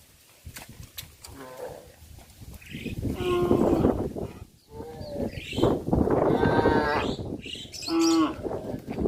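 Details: Cattle being herded back to the pen past a fish pond, several overlapping harmonic moos of varied pitch through the clip, some rising and falling, with shuffling and rustling noise between calls.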